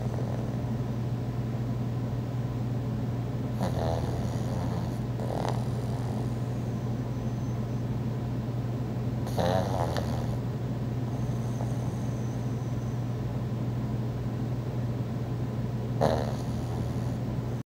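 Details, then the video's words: Sleeping pug Thor snores, captured on an iPhone 4, with brief raspy snorts at irregular intervals against a continuous low-pitched background hum. "Thor The Pug Loves To Snore"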